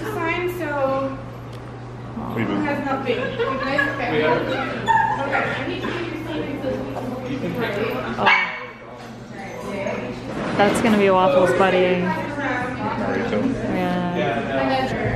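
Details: Young Corgi named Waffles, filmed in 2018 in San Francisco, making repeated high yips and whining whimpers in quick bursts, with a brief pause midway, while human voices run alongside.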